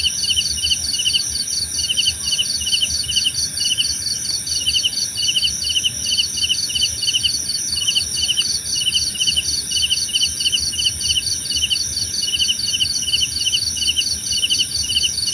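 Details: Long stretch of cricket calling: steady rapid chirps in two overlapping pitches, continuing with short pauses, against a constant high insect hum and faint low background noise.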